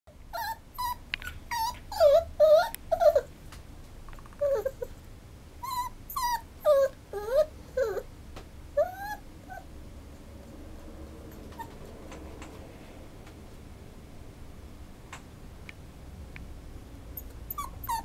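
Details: Schnauzer whimpering in a run of high, falling whines with bright overtones, several per second in bursts through the first ten seconds, then quieting to a low background hum with a few soft sounds near the end.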